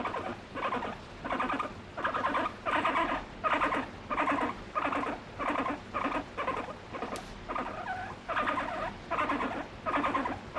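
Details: Pet guinea pig affectionate with its owner and expressing emotions, giving a rapid series of squeaky chirps in regular bursts, about one and a half per second, each with stacked tones, in a quiet indoor setting.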